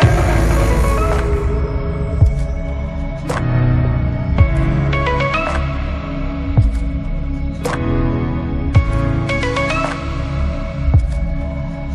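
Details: Music plays throughout, with a steady low throbbing beat and bright chime-like notes, and no animal sound heard.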